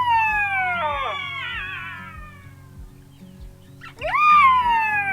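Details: Black-backed Jackals calling and playing in the riverbed at Mata-Mata rest camp, Kgalagadi, Kalahari, early morning in August 2023: drawn-out wailing cries, one sliding steadily downward, another rising sharply then falling slowly; soft music beneath.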